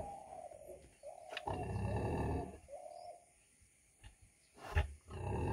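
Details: Heavy 100 kg female pig producing low, drawn-out rumbling grunts overlaid by a steady mid-pitched whine, then a sharp thud and another rough grunt at the end.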